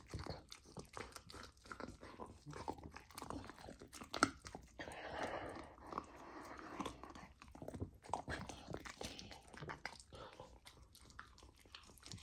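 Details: Golden retriever puppy on a raw diet eating raw lamb for the first time: steady wet chewing and crunching, irregular sharp bites packed closely through the clip, with a denser smacking stretch in the middle.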